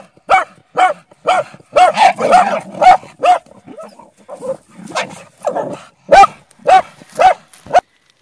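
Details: Bull Terrier described as a hunter, barking in a fast series of sharp, loud barks about twice per second, with a brief run of rougher, overlapping growly barks in the middle, then steady single barks again.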